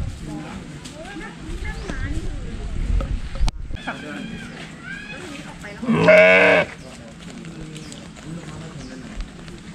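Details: A sheep being hand-fed grass lets out one strong, quavering bleat, holding the shaky note for under a second, while people chat quietly nearby before and after.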